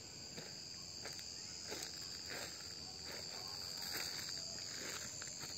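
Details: A cicada's steady, high, shimmering buzz in August drones on without a break, with soft footsteps beneath.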